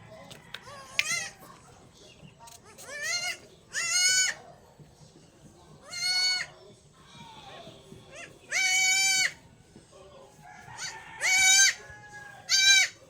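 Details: Newborn goat kid before its injections, giving loud, harmonic, wavering bleats, about six in a row, each lasting roughly half a second and separated by short pauses, with soft background noise between calls.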